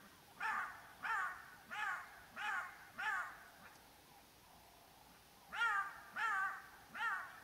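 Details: On a clear morning, black-backed jackals give sharp, wailing yelps in quick succession as alarm calls, a sign a predator is nearby; lions are roaring to the north and a male lion is found close by.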